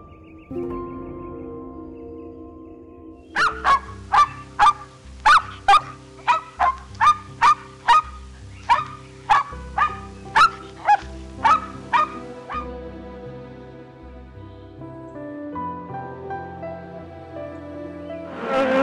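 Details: Dog barking in a rapid series of about fourteen short, sharp, ringing barks, roughly one every two-thirds of a second, stopping partway through; steady background music plays underneath the whole time and continues after the barking ends.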